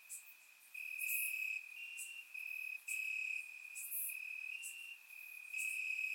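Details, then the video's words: Warm summer night in Bulgaria with crickets chirping in the grass: a sustained high-pitched trill throbs in loud stretches separated by brief dips, joined by occasional brighter, higher chirps. "Cricket Sounds - Crickets Chirping at Night"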